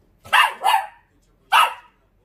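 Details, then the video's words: Short-legged Dachshund barking back at a man as if talking: three sharp, bright barks, two close together then one after a pause, with quiet gaps between. "숏다리 닥스훈트 폴리쉬 vs 멍멍이삼촌 대화가 되는 넘"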